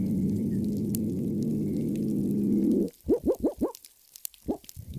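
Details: Hawaiian monk seal whoops recorded in situ, among the first such recordings, played back at an outreach panel: a steady low drone for three seconds, then four quick rising whoops in a row and one more shortly after.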